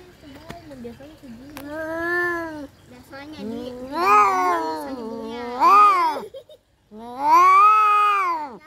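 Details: Yowling from domestic cats in a fight: wavering moans build into loud rising-falling wails, several overlapping, broken by a brief pause before a final strong arched howl.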